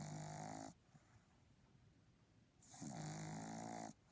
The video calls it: Little Papi Boston Terrier snoring